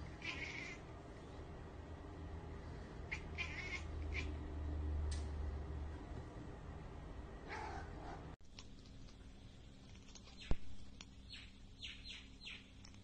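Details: Pet cat watching prey it cannot get to, making scattered chattering chirps and clicks, first over a low steady hum, then in quicker clipped bursts with one sharp knock.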